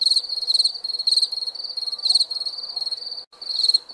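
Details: Crickets at night chirping in rapid pulsed bursts, high and shrill, one group following closely on another, broken by a brief silent gap near the end.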